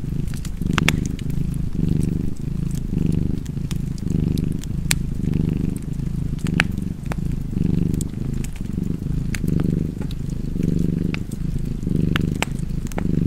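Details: A cat's cozy purr, a continuous low throbbing hum that swells and eases in roughly one-second breathing cycles, with scattered crisp crackles and pops from a fireplace.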